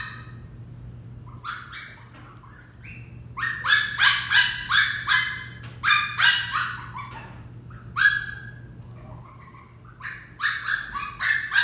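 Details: Female Westie puppy Dixie barks in training, her high-pitched yaps coming in irregular bursts of four to six quick barks separated by short pauses.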